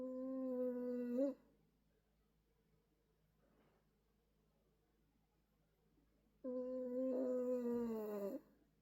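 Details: Fourteen-year-old male senior Toy Poodle snoring strangely while napping: two long, droning, nasal tones rich in harmonics, one lasting over a second and the next about two seconds and slightly wavering, separated by a quiet breathy pause.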